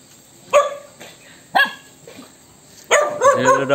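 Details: ['Angry dog reacting to an annoying sound, giving three sharp, harmonic-rich barks spaced about a second apart, the last one longer and doubled, with quiet room background between them.']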